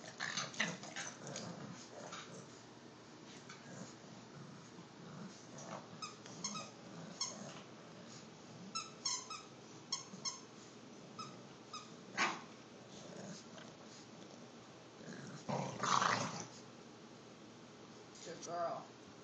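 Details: Two bulldogs, Lola and Rico, an Olde English Bulldogge and an English Bulldog puppy, fight playfully over a stuffed bear; low rumbling growls run beneath scattered snaps, squeaks and scuffling, with a louder noisy burst near the end.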